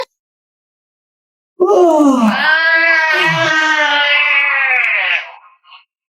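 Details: Pet cat talking back to its owner indoors: one long drawn-out yowling meow of about three and a half seconds. It starts low, rises, then holds a steady, rich, harmonic tone before tapering off, followed by a short faint squeak.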